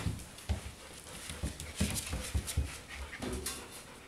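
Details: Golden retriever puppies at four weeks old pant in a small room, short huffing breaths repeating roughly every half second, low and breathy, with a few faint whimpery edges.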